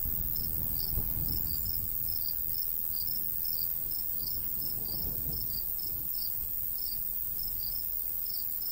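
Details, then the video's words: Crickets chirp in a golden wheat field in the summer countryside under a light breeze; high pulses come in uneven pairs and clusters, and gentle wind gusts swell and fade beneath them. "Countryside/cricket sounds"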